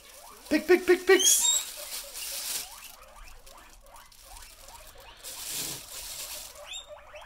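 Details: Pet guinea pigs excited by the rustle of a plastic bag, giving a run of loud rising squeaks early on, then softer repeated chirping squeaks, with the owner talking nearby.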